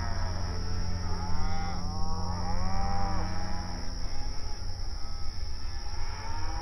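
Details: Open range cattle grazing on outdoor pasture, several animals mooing and calling to one another; overlapping drawn-out harmonic moos rise and fall in pitch through the middle, over a steady low rumble and constant background hum.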